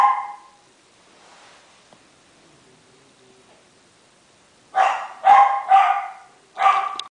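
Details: Twenty-eight-day-old Miniature Schnauzer puppies from a Shizuoka breeder, Japan: a brief yelp at the start, several seconds of near silence with faint murmur, then four quick high-pitched yapping barks close together near the end.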